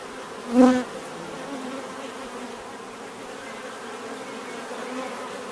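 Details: Bees buzzing in a natural setting: one louder bee passes close just after the start with a brief swelling drone, then a softer, steady background hum of more bees continues.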